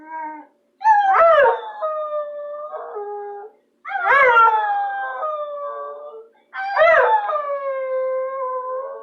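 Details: Bulldog howling in three long, tuneful cries, each opening with a quick rising swoop then holding a steady, slightly falling tone for two to three seconds, separated by brief silent pauses.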